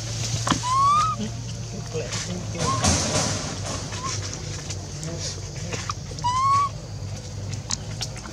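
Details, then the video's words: Rainbow, an orphan monkey left alone, cries to call Libby back, crying until losing her voice; short rising whistled cries with faint overtones, one near the start and another about five seconds later, over a low steady hum and scattered clatter. "Rainbow keeps crying till lose sound to call Libby back leave her stay alone"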